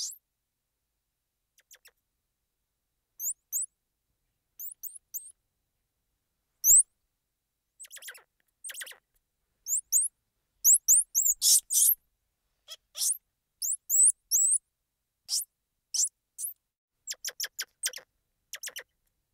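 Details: Squirrel monkey giving short, very high-pitched chirps and peeps in scattered bursts, often doubled or in quick runs of three to five, with brief dry clicking sounds between them and silent gaps of a second or two.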